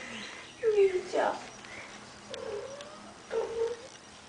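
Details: Young kitten being played with at home; three short, thin meows spaced about a second apart, falling slightly in pitch, with people chatting excitedly nearby.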